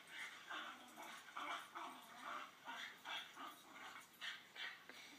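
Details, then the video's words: Play noises of a female blue Staffordshire Bull Terrier romping with a canine companion, heard as a recording replayed to her: steady run of harsh, grumbling growl bursts, roughly two or three each second. "Blue Staffordshire Bull Terrier reaction to dog play sounds"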